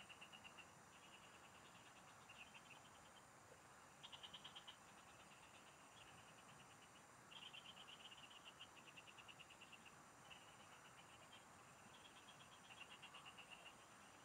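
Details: Frogs calling in the fields during fishing: fast rattling pulse trains, each about one to two seconds, trade off between several callers, with a constant high-pitched insect drone underneath.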